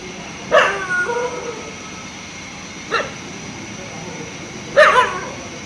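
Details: Daytime barking by a dog that has spotted a fox: a strong bark with a trailing yelp, a softer short bark, then another loud bark, spaced irregularly over constant background hiss.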